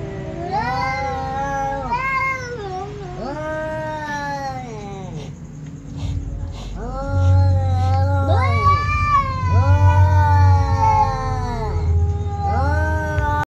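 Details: Two ginger cats meowing while a baby kitten looks on after eating: long, drawn-out wailing meows with rich harmonic stacks, rising then falling, overlapping one another almost continuously, with a low hum underneath.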